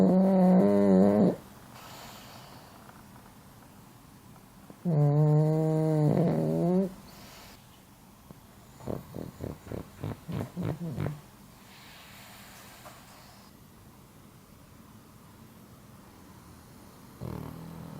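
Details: Pug snoring in its sleep, sometimes surprisingly loud and looking strained. Repeated breaths every four to five seconds: loud tonal, droning snores with a strained upward twist, then a fluttering series of rapid rattling pulses, with quiet gaps between.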